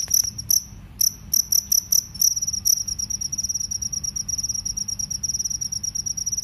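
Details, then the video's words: Cricket, a field cricket or forest cricket compared side by side, producing loud high-pitched chirps in quick bursts, then a steady rapid pulsing trill with a second bright overtone above. "suara serangga jangkrik sawah vs jangkrik hutan"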